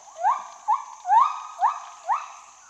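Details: Lar gibbon (white-handed gibbon, Hylobates lar) giving five quick rising whoops, each sliding upward then holding steady, about two per second, with a faint high hiss behind.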